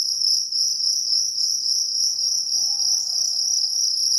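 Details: Jangkrik kalung cricket: shrill, unbroken high-pitched trill made of fast pulses, very even in loudness, with a faint low hum and a brief soft tone in the background.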